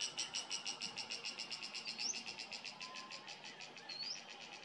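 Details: Cicada in summer sunshine at a garden estate in Uttarakhand, India, gives a rapid rhythmic pulsed buzz, several pulses each second, while two brief rising bird whistles sound behind it.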